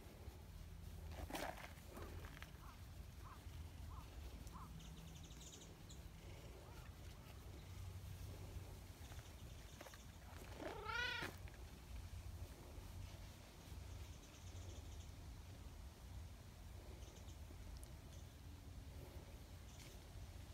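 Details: Nyahha, a brown tabby community cat known as a loud-voiced, affectionate king cat, gives a single clear meow midway through, amid a constant low outdoor hum and scattered faint ticks and taps.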